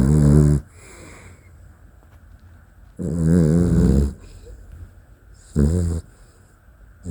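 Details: Sleeping Dachshund snoring: three loud, rasping, low-pitched snores, each under about a second long, spaced a few seconds apart, with quiet breathing hiss between them.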